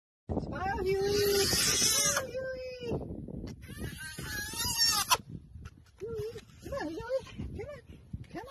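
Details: Baby hyena crying, with high, drawn-out whining notes that hold steady, then waver up and down in short bursts, over a rough, noisy background.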